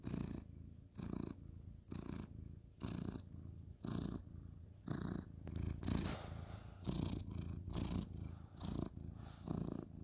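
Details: A ginger tabby cat, male, purrs loudly during bedtime petting; a strong low rumble pulsing about once a second with each breath, accompanied by light rustling of fur and bedding.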